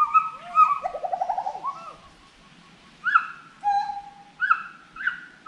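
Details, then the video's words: Forest monkey voices: loud whistled notes lead into a fast wavering trill, then a quieter gap, followed by spaced rising whoops and one long level whistle. "FOREST MONKEY VOICE"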